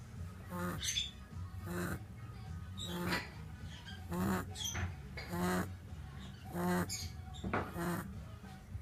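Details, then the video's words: Five-year-old pet French Lop rabbit Diederik snoring in his sleep indoors: rhythmic raspy, breathy snores repeating about every second, each a rough burst with layered tones, over a steady low hum. "French lop snoring like an old man - Franse hangoor snurkt als een oude man"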